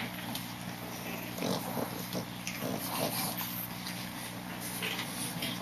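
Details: Boston Terrier puppy, 39 days old, giving short, low grunting and snuffling bursts in the first half, over a steady low electrical hum and scattered rustling clicks.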